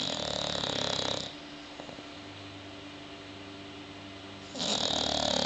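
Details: A sleeping bulldog snores, a rattling raspy breath at the start and another at the end, with a long quiet pause between them.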